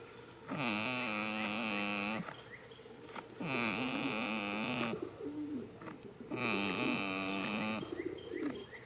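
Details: Sleeping goat lying in a field in spring, letting out steady nasal snores. Each is a groaning, wobbling breath of about a second and a half, repeating every three seconds or so, with small clicks and rustles in between.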